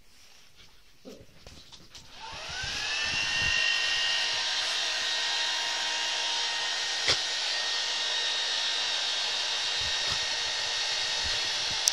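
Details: After about two seconds of quiet knocks, a loud, steady, high whirring motor like a hair dryer or vacuum cleaner runs to the end; no animal sounds.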